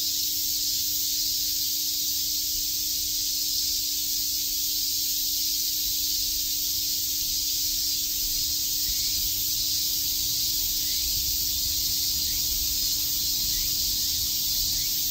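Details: Cicadas chirping on a summer day in Shakujii Park, Tokyo: a dense, unbroken sizzling drone high in pitch that holds steady for the whole stretch, with a faint low steady hum underneath.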